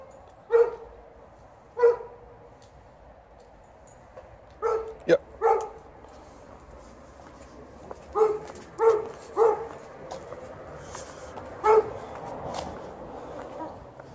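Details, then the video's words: Golden Retriever complaining outdoors as the snow is almost gone; a series of brief whiny barks and yelps in irregular bursts, some clustered closely, others separated by pauses of several seconds. "As usual, Golden Retriever is complaining while outside"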